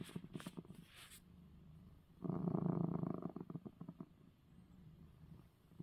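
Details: Domestic cat purring after receiving his eye medicine; a loud low rumbling burst of about one second, softer purring before and after, with a few brief clicking sounds at the start.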